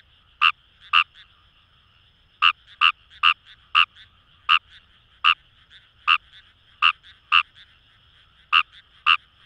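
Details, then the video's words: Fejervarya kawamurai in paddy fields along the Kamo River, Itoshima, Fukuoka, Japan: loud short clicking croaks in irregular pairs and singles over a continuous distant frog chorus. "Wild Frog Call | ヌマガエル"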